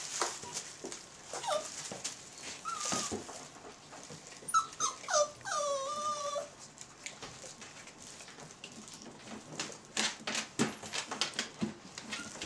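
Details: Belgian Malinois puppies, 28 days old, of the B litter at the Ot Shato Bulgar kennel, give thin tonal whimpers that rise and fall, clustered in the middle of the clip, among scratchy rustling and clicks.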